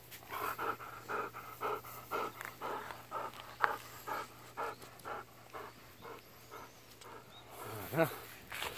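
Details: Golden Retriever running about outdoors in a harvested rice field beside a smouldering pile of burnt rice husks and straw. The dog pants rhythmically, about two breaths a second, with faint human voices and a brief voiced sound near the end.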